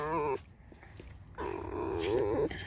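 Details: Pet fox kept at home squeaks: a short whine at the start, a quiet pause, then a long, shaky, warbling squeal of about a second that rises slightly in pitch, while a person talks softly nearby.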